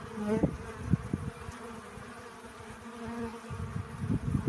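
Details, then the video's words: Bee busy collecting pollen, a brief rising buzz early on, then a softer hum that returns mid-way, over low rumbling thumps and background noise. "Relaxing Bee Sounds. Сбор пыльцы."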